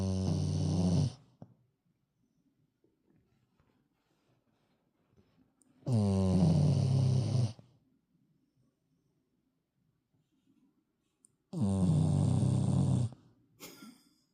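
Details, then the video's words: Sleeping dog snoring: three long, loud, rattling low snores, each lasting over a second and coming roughly every five seconds, with faint breathing in the quiet gaps. "멍멍이 코골이"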